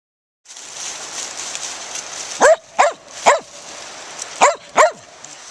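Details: Daisy, a Gray's Mountain Feist, barks while hunting squirrels in the woods: five sharp barks in a loose series about every half second, over steady hissing background.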